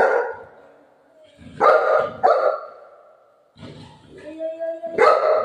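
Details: Pet Golden Retriever barking: a few sharp, harmonic barks spaced irregularly, with a longer whining tone near the end, mixed with people talking in Marathi in the background.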